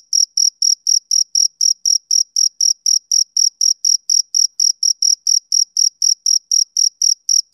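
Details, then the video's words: A male cricket sings on a summer evening, its shrill chirps coming in a fast, even beat of about four per second, each brief and sharp, nothing else audible. "Cricket Chirping Sound Effect"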